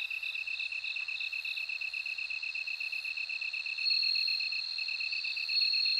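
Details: Bell cricket singing a high, steady ringing trill that swells louder near the end, over a lower, rapidly pulsing chirp from another insect in a continuous night chorus.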